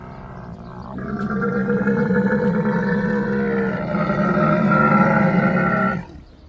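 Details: A camel lets out a drawn-out, gurgling groan that starts suddenly, holds a low rumbling tone with harsh overtones for about five seconds, then cuts off.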